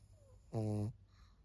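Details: Maria, a 14-year-old senior female fawn pug in Japan, recorded 4 June 2024, gives a single short, deep, buzzy snore lasting under half a second, rich in stacked tones, over a quiet indoor hum.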